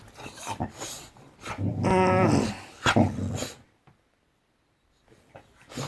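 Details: Boxer dog waking its owner in the morning indoors, giving a drawn-out, wavering harmonic whine-grumble of about one and a half seconds, with a human voice talking before and after and short quiet gaps.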